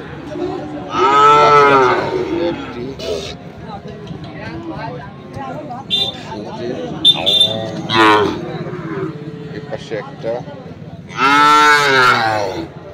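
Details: Sahiwal bull calves at the Ambari market in Dinajpur, 6 November 2023, give a loud harmonic bellow, then scattered shorter lows amid market chatter and knocks, and a final strong moo near the end.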